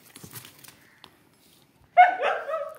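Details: Siberian Husky named Kittu, a female dog, excited on hearing about going out; after a quiet start with faint human sounds, a loud harmonic yowling cry bursts in near the end and wavers over the final second.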